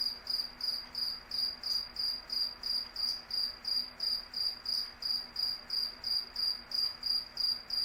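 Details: A cricket chirps steadily at night, short high pulsing bursts repeating roughly three times a second over a faint low hum.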